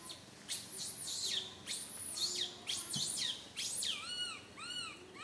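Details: Little monkey Santo crying loudly on a tree branch while his mother Sara cannot care for him; shrill, very high screams alternate with arched, harmonic wails that rise then fall, repeating in quick bursts.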